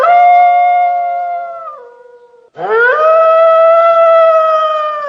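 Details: At night, a wolf gives two long, steady howls, the second swooping up sharply before holding a level tone.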